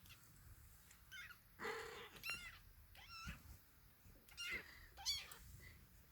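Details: Five-week-old British Shorthair kittens in their playpen, recently started eating food, give several thin, high mews, each a quick rising-then-falling cry, scattered irregularly across the clip, with soft rustling and a quiet room behind.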